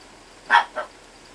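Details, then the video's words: Two-month-old Chihuahua puppy giving two short, high yips in quick succession, the first louder, the second softer about a quarter second later, in a quiet room. "Щенок породы ЧИХУАХУА возраст 2 месяца"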